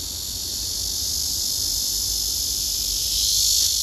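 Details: Male cicadas singing on neighbouring trees, one spreading its wings and raising its abdomen to sing: a steady, piercing buzz that swells louder toward the end of the recording.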